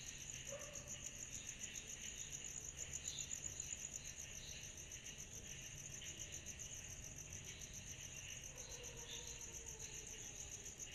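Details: On a summer night, cicadas keep up a constant shrill, rapidly pulsing trill over a lower buzzing layer, while faint short lower-pitched calls from other animals appear briefly near the start and end.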